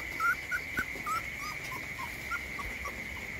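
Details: Puppy sleeping outside in the rain, giving thin, high whimpering squeaks, about a dozen short slurred whines in quick succession, some rising, over a steady high-pitched drone and faint patter.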